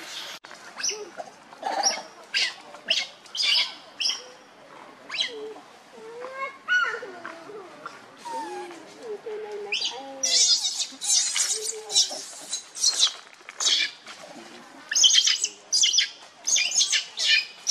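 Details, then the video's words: Baby monkey Lucie, hungry for milk and foaming at the mouth, cries pitifully: repeated shrill, noisy screams alternate with wavering, rising and falling whimpering coos, bursts coming roughly every second over seventeen seconds. "Lucie Very Pitiful Need Milk Crying foaming At The Mouth I Lovely Baby Monkey"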